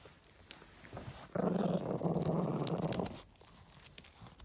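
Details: Low, continuous throaty growl from Yoda the Boston Terrier as he gets a treat indoors, lasting nearly two seconds between quiet stretches with a few soft taps.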